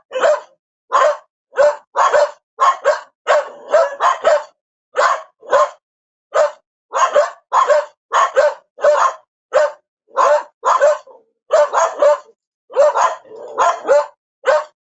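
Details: Steady dog barking for fifteen seconds, about thirty short barks, often in quick pairs, keeping up an insistent, fairly even pace with no other noise.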